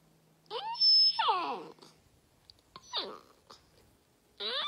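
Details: Golden retriever indoors giving high, falling whines, three drawn-out whimpering cries, each sliding downward, separated by short quiet gaps.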